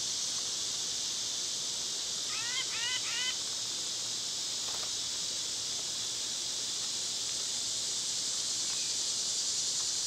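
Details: Cicadas buzz in a continuous high hiss in summer while a bird gives a quick series of about six rising chirps. A few soft knocks are heard later.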